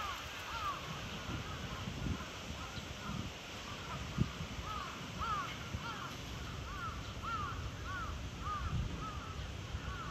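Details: Cheetah Zuraya at Chiba Zoological Park, Japan, on 8 April 2023: bird-like arched chirps repeated in loose runs, roughly one to two per second, with a few soft thumps and steady ambient hiss underneath.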